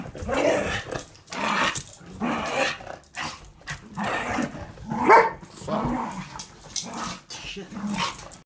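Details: Boarding dog, foster puppy and household dog at play, trading low rumbling growls and snarly grumbles in short uneven bursts, with breathy scuffles and a faint voice in the background.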